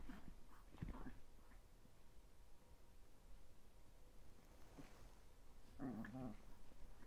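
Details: Thirteen-week-old Chihuahua puppies, one called Cola, indoors in a small room; after a faint snuffle near the start, one brief, strained, whining yelp rises near the end over a quiet, hissy background.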